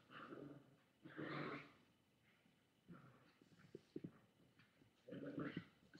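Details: Chihuahua growling at a boy holding a toy, webcam recording from August 13, 2011, afternoon; two longer rasping growl bursts, separated by quieter breathing and soft clicks.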